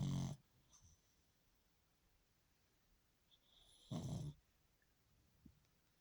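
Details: A pug sleeping sweetly and snoring a little: two short, soft snorting breaths about four seconds apart, with near silence in between.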